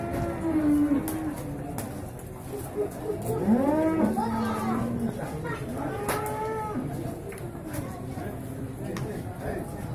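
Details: Beef bulls gathered at a cattle market in Singkil, Boyolali, Indonesia, on Saturday 6 July 2019; several overlapping lows, some sliding upward into bellows, others flat and droning, amid constant human chatter and clattering.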